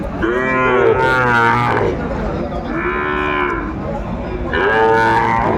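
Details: Cattle of the Sahiwal breed at a livestock market in Kurigram, Bangladesh, mid-December 2024. There are three drawn-out, level, nasal moos, the first lasting over a second, set against constant market chatter and hubbub.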